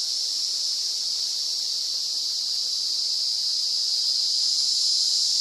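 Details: An emerald cicada (Zammara tympanum) sings a steady, high, hissing drone that holds without a break, filmed in a private nature reserve at Itaiópolis, Santa Catarina, Brazil.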